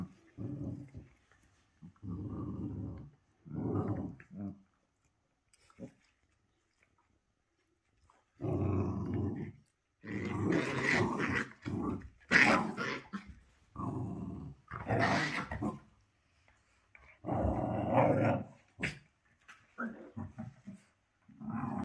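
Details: Dog performing 'growl yoga', sending out bursts of harsh, gravelly growls, some low and rumbling and others louder and noisier, with pauses of several seconds between groups.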